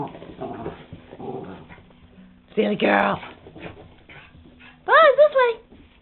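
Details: A female Jack Russell Terrier drying herself off after her bath gives a loud, harmonic whine with wavering, arching pitch around the middle and again near the end, between stretches of a woman talking and laughing to her.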